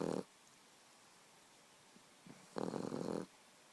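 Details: Boxer puppy asleep and snoring indoors: a brief snore at the start, then a quiet gap and one longer raspy, buzzy snore lasting under a second, with near silence between breaths.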